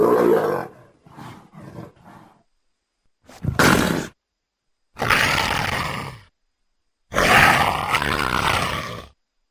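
A leopard gives deep, rasping roars in three long bursts, after a brief spoken opening.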